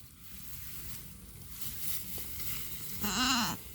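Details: Young pet goat on a small farm, thought to have been bitten by a cobra or snake that morning, gives a single short wavering bleat near the end after quiet, low rural background.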